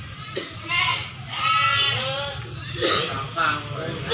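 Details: Goats, female goats with kids, at the Silir animal market in Semanggi, Solo, giving several wavering, quavering bleats, one long drawn-out cry in the middle, amid constant crowd chatter and market noise.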